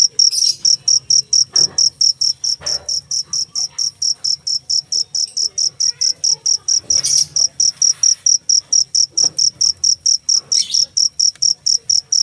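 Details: Loud, rapid cricket chirps repeating at an even pace, roughly four per second, each a short high trill; a few soft thumps and brief broadband rustles interrupt the background.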